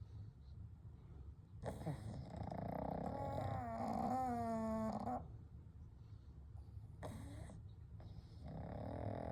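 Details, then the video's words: Kou, Gen and Shun, three pugs sleeping together, snore softly: a drawn-out rattling, growly snore with rising whistled overtones, a quiet pause, then another shorter snort and breathing. "A Night with Sleeping Pugs - Gentle Snoring & Breathing"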